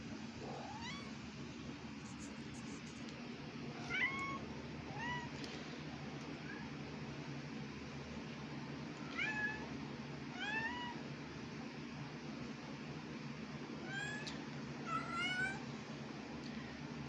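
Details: Two domestic cats talking to each other with meows: short rising and bending calls come every few seconds, some drawn out, with two closely overlapping meows near the end against a constant low background hum.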